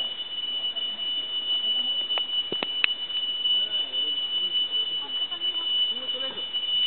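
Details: A tree cricket in dense forest sings a steady, high, unbroken trill likened to a temple bell, with faint voices and a few clicks underneath.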